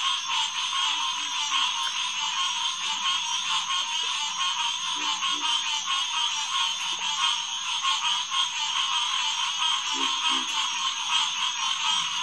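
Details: Dense chorus of green tree frogs at Headquarters Pond, St. Marks National Wildlife Refuge, around 9 pm on June 2, 2021; unbroken massed calling with faint pulsing texture and a few brief lower croaks near the end.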